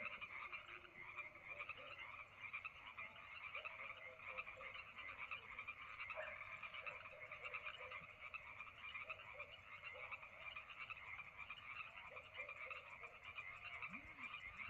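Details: Summer night frog chorus at Lake Madrone, many frogs calling at once in a constant pulsing, trilling wall of croaks, with a few lower, shorter croaks standing out now and then over the steady din.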